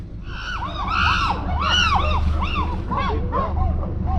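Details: Wild chimpanzees scream in overlapping, arching shrieks over a steady low rumble, heard from a sailboat on the river Gambia.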